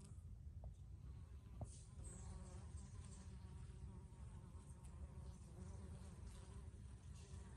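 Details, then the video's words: Buzzing bees among flowering basil, a continuous droning hum with faint higher harmonic bands and a brief tick near the second mark, against low background rumble. "BEES BUZZING IN BASIL BLOSOM"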